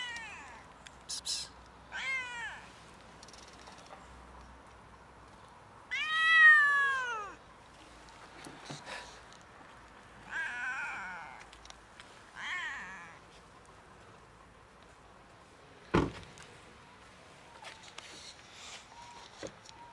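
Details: Huge fluffy stray cat, friendly and hungry, living on the street on a cold winter day, gives a series of drawn-out, arching meows that rise then fall, the longest around six seconds in, with quieter meows between and a sharp click later.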